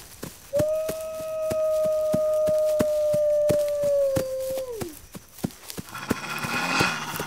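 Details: Wolf howl, a call the pack uses to rally members against attack: one long steady tone held about four seconds, then sliding down, over sharp regular clicking, with a brief hiss near the end.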